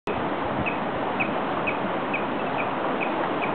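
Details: A rather vocal beaver near a river walk in Estes Park, Colorado, giving short, high chirps repeated about twice a second over a steady loud rush of flowing water.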